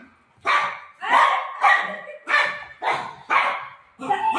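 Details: Golden retriever searching for its mom during play, letting out a series of loud, regular barks roughly every half second, with faint human voice in the background.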